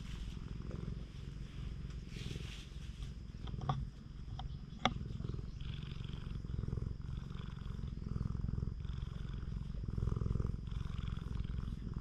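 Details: Stray cat purring under a person's petting on a cat island in Japan, GoPro HERO8 recording; soft continuous low throbbing purr, a few sharp clicks and handling noises midway, faint outdoor background.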